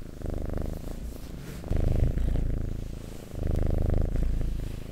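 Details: Loud, close purring from a domestic cat: a coarse low throb rising in three strong breathing surges separated by quieter dips.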